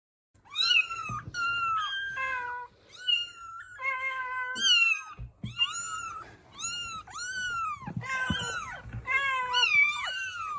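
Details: Several kittens meowing in a small indoor room, a busy run of high, bending mews overlapping one another, some rising then falling, with brief gaps between calls and no other sounds.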